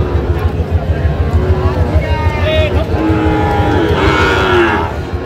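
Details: Sahiwal breed bull at a Bangladeshi cattle market, Narsingdi farmer's purchase, 28 July 2025; a long tonal moo swelling over roughly two seconds in the second half, with rhythmic background thumping and men talking nearby.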